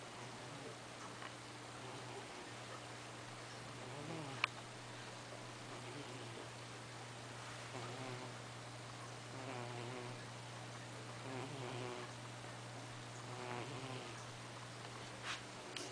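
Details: Fat pet cat sleeping and snoring indoors in a small room, with soft, rough breaths recurring every few seconds over a steady low electrical hum and faint background hiss.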